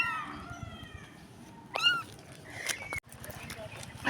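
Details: Tiny stray kitten, thought to be still blind, calling for its missing mother: one sharp, high mew in the middle, surrounded by quiet Tagalog speech, rustling and handling noises.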